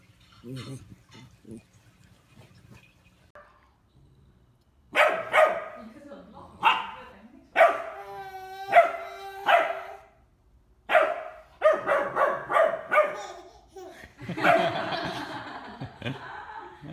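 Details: Bernese Mountain Dog puppies playing, with a run of loud, hoarse barks and yelps in uneven bursts, one stretched into a harmonic howl, mixed with a woman's playful chanting and talk.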